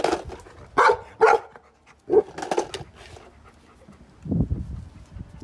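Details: A Golden Retriever barks at a skateboard he hates, giving a run of loud, full-throated barks in uneven bursts; Golden Retriever.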